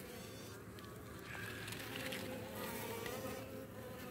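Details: Baltimore honey bees in the morning, swarming over a European hornet queen they have stung and killed at the hive; continuous massed buzzing with a steady droning band and brief sharper flickers.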